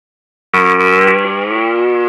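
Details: Red deer stag roaring at very close range: one loud, rich, harmonic bellow that starts abruptly and holds steady for about a second and a half without fading.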